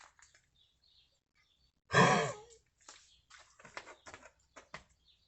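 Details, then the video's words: An alabai, a Central Asian Shepherd Dog aged nine, coughing from an unexplained illness accompanied by vomiting. A single loud, harsh hack carries a brief wheezy falling tone, then short rasping breaths and soft clicks follow. "Среднеазиатская овчарка (алабай)непонятный кашель"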